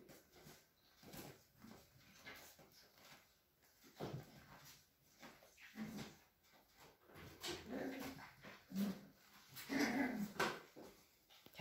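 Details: Cavalier King Charles Spaniel puppies at a breeder's home in a village in the Sierra de Madrid, Spain, playing together; short scattered grunting growls and soft whimpers, busier and louder toward the end, in a small indoor room.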